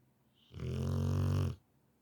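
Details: A Rottweiler fast asleep gives one deep, rumbling snore lasting about a second.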